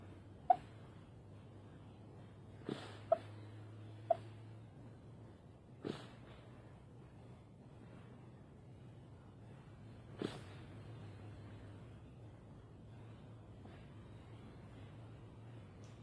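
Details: Foxy, a female fox, snoring and barking in her sleep: faint breathy huffs and a few short, sharp high yips scattered at irregular intervals over a low, steady background hum.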